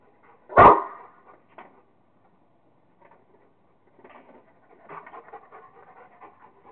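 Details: Kingston, a Rottweiler, having fun playing with a squirrel: one sharp, loud bark-like burst near the start, then soft, uneven panting breaths trailing off over several seconds.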